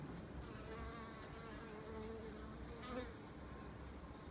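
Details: Early spring at a window-frame observation hive entrance, honey bees producing a continuous low droning hum, even throughout with a slight swell near the end.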